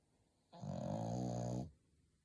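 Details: A pet dog snoring while sleeping comfortably indoors: one long, rough, buzzing snore of about a second, low and harmonic-rich, rising from and falling back into a quiet room.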